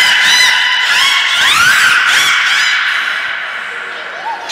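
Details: Loud, rough, pulsing harmonic call from the beluga Nana while training at Port of Nagoya Public Aquarium in April 2019, with a rising sweep midway, fading toward the end, where a soft short upward chirp follows.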